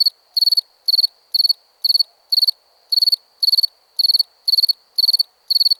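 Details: Cricket chirping crisply, each chirp a quick run of three or four high pulses, repeated about twice per second against a quiet background.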